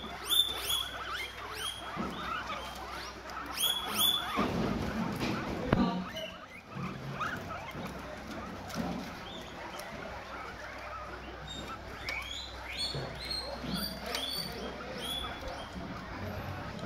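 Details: Guinea pigs eating guava in the morning, giving short high squeaky chirps in quick bursts at the start, near four seconds and again around twelve to fourteen seconds, over a man's Vietnamese speech and background noise.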